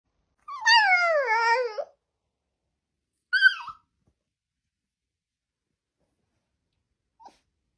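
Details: Siberian Husky 'talking': a drawn-out, whiny vocal sliding down in pitch over about a second, followed by a short higher yelp and then silence.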